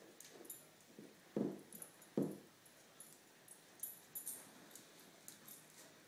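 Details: Male Lhasa Apso puppy indoors humping a roll pillow from an antique daybed, giving two sharp snorting huffs about a second apart amid softer snuffles and faint shuffling.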